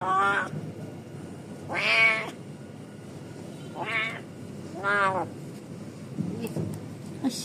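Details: Trapped cat meowing repeatedly, four loud harmonic meows rising then falling, about one each second, with a few fainter cries afterward; a person's soft calling voice in the background.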